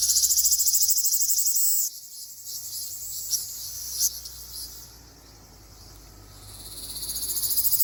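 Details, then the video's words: Okinawan Ryukyu large brown cicada song in mid-June: an intense rapid shrill buzz for two seconds that cuts off, then fainter scattered high buzzing, rising again at the close. "セミの鳴き声 リュウキュウアブラゼミ"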